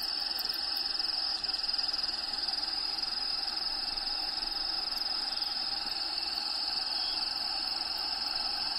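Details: Inside the vivarium of Diego, a bearded dragon, crickets keep up an unbroken, high, shrill trill at a constant pitch, over soft background ambience, with a brief dip in level near the start.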